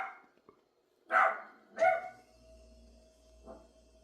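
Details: A dog barks twice in quick succession, two loud sharp barks less than a second apart, followed by a softer short bark, over a steady low electrical hum.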